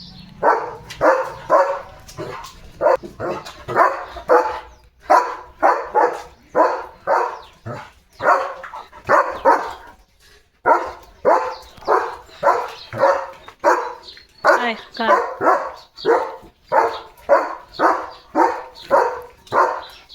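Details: German Shepherd named Leo barking loudly at cattle passing the gate in the early morning; a long run of sharp, repeated barks, roughly two per second, with brief pauses between bursts.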